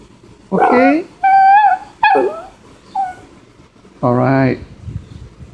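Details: Maltipoo dog pleading to go out on a rainy day when he is kept indoors; several drawn-out, tonal whines and whimpers with wavering pitch, separated by brief silences, ending with a long nasal whine.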